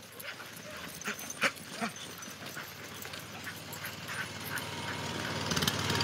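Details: Two teams of Siberian husky dogs on a snowy day, excited as they pull two sleds across the snow: a few short, sharp barks in the first two seconds over steady rushing noise that swells toward the end.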